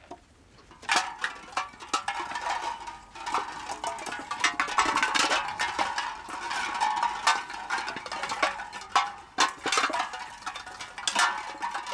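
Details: Indoor rattling and clattering of cans and bottles in sharp irregular bursts, with nothing vocal heard.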